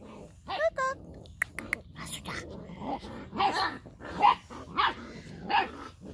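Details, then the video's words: Labrador Retriever puppies, seven in the litter; a brief yelp and a few clicks open, then a puppy gives four high, hoarse barks spaced under a second apart, with soft human talk beneath. "Mittendrin bei den 7 Labrador Welpen Rabauken."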